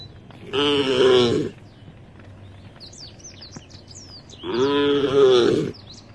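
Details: Tame cows walking in a herd toward a field at the edge of a forest; two loud, sustained moos about four seconds apart, with twittering birds in the quiet gap.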